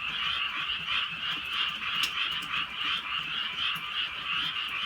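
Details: Frogs calling on a drizzly rainy night in the Korean countryside: a dense chorus of many overlapping croaks, pulsing roughly three times per second, with faint rain hiss beneath.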